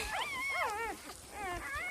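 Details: Newborn puppies lying with their mother give several thin, wavering whines. Three bending cries come in quick succession, then a short pause, then another rising-and-falling whimper near the end.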